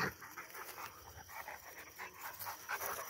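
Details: Rottweiler, one of two dogs coming down from a tower, panting in quick, breathy, rhythmic puffs about three times a second. Faint hiss sits in the background, and clapping follows.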